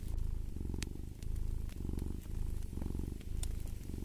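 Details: Close, rumbling cat purr in clear breathing cycles, swelling and easing about twice per second, with a few faint fireplace crackles in the background.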